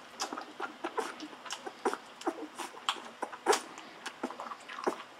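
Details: Golden Retriever puppies, fourteen days old, drinking milk from a bottle: short high squeaks and whimpers come in quick irregular bursts, mixed with sucking and smacking noises.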